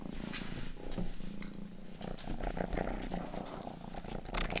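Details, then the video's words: Rang, the youngest domestic cat of the household, purring during an ASMR ear-grooming session: a steady, low, pulsing rumble that runs throughout, with soft wet licking clicks and rustles layered on top. "ASMR 하는 고양이!(Purring & ear licking sound)"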